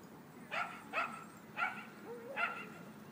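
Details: Dogs playing at a dog park: four sharp, bright barks spaced about half a second apart, each a short burst with a clear tonal core, over a low murmur of background noise.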